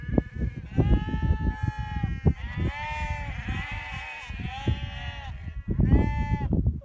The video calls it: Sounds of Sheep